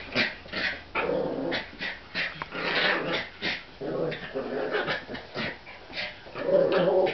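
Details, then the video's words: Indoors, American Eskimo Dog siblings, a brother and baby sister, play with a new toy, giving steady grumbling growls in repeated bursts about every half second amid huffs and scuffling. "American Eskimo Dogs playing"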